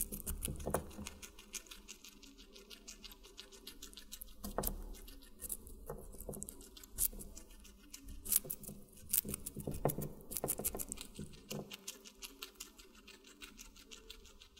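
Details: A guinea pig feeding on watermelon, heard up close: long, continuous fast nibbling like fine clicking, broken by occasional loud, wet crunches and brief pauses.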